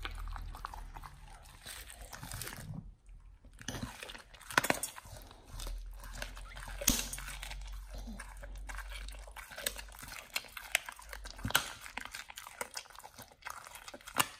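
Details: Nomyen the Pit Bull eats a raw whole Thai duck for the first time on a raw diet. Irregular crunching and biting bursts, with sharp cracks near four and a half, seven and eleven and a half seconds, over a low steady hum.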